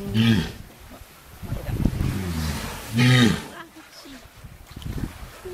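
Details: A captive walrus (Odobenus rosmarus) at Ise Sea Paradise aquarium, relaxing near closing time in the evening, gives two loud, low, roaring calls that bend in pitch, with people talking in between.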